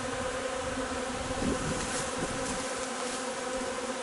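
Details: Honey bee hive during foraging on linden nectar, 3 June: a steady, dense droning hum with a low tonal band and its overtone, even loudness throughout, occasional faint soft clicks.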